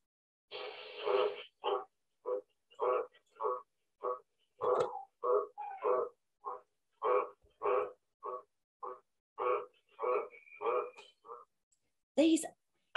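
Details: A green tree frog, very common around Sydney and the commonest frog in a backyard there, gives its loud call at night: a steady series of deep, harsh 'crawk' croaks, each following closely on the last.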